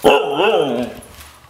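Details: Female white Siberian Husky in a hide-and-seek game, announcing that she has found her owner with one loud, drawn-out, harmonic yodel that rises and falls in a wavy contour over about a second, then fades. Indoor setting.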